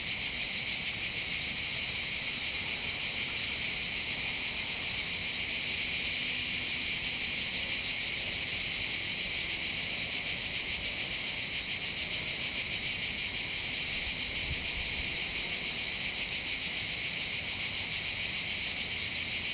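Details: Summer cicada chorus from the heights of Bandol in the Var, near the coastal path on the Mediterranean: a relentless high buzzing drone with rapid regular pulsation throughout, faint background hum beneath.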